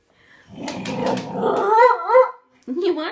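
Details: An 11-year-old Bull Terrier performs for treats, giving a wavering, rising-and-falling howl with rough, growly grumbles at its start, then a short second whine after a brief pause; a person speaks to the dog before and after.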